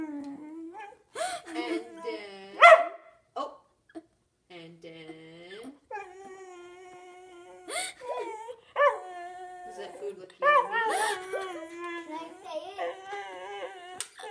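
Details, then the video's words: Whippet BB whimpering and yipping in a small room, with short broken whines, a louder yelp and rising, wavering cries scattered across the recording, mixed with a person's voice. "Funny whippet BB"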